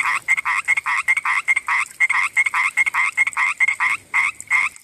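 A common tree frog gives rapid, rasping croaks, several notes a second, in a steady run at night.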